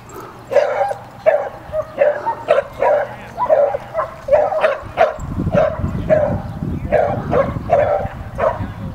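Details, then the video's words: Female Samoyed barking to protect her brother and put another dog in his place; sharp, mid-pitched yaps repeated roughly every half second, steady throughout, with a low rumbling background noise in the second half. "Samoyed Ivy Protects her brother Kodah"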